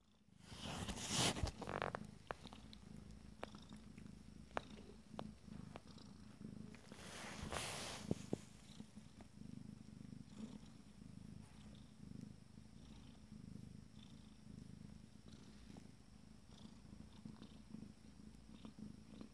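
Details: Purring from 14-day-old Abyssinian kittens of a first litter, a steady low rumble with rhythmic swells, broken early by loud rustling and handling noises around the first two and eighth seconds.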